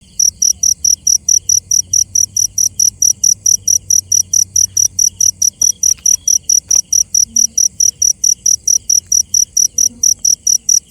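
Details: Cricket at night giving loud, high, sharp chirps repeated about four times a second in an even, steady rhythm, over a faint low rumble in the background.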